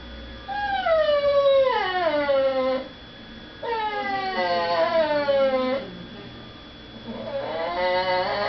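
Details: Pet female dog whining indoors, kept away from begging at the dinner table while people eat in the next room; two drawn-out, howl-like cries, each gliding downward at the end, then a third rising wail starts.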